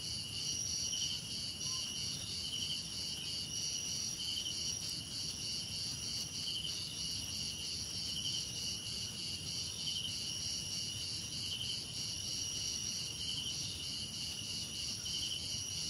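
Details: Crickets, part of a soothing nature-sound blend with cicadas, insects and birds, keep up a continuous high-pitched ringing with regularly pulsed chirps above a faint low hiss.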